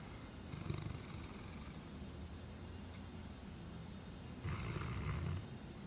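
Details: Tyson, a sleeping Great Dane, snoring in November 2009: two deep, rumbling breaths about four seconds apart, with a faint hiss on each, over a quiet low background hum.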